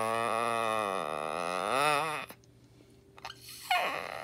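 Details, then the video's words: Pet dog letting out one long creaking, howl-like moan of about two seconds that wobbles up and down in pitch, like a creaky door. A short squeaky rise follows after a brief silence. "Moxie Sounds Like A Creaky Door"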